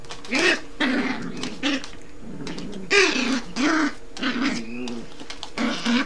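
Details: A Yorkshire Terrier mother gives gruff, throaty barks and growls at her young son puppy, seemingly scolding him for bad behaviour, though the two are actually playing.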